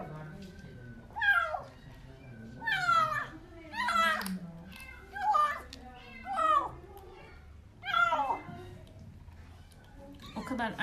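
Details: Hungry kitten Portakal, rescued as a stray from beneath apartment buildings, cries loudly while eating wet food indoors: repeated harsh, descending meows roughly every one to two seconds, with a woman's voice underneath.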